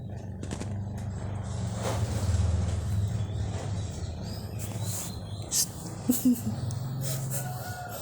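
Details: A pet cat named Soleh snoring: a low, rough, droning rumble that swells over about three seconds, fades, then returns near the end, with faint rustling and light background noise.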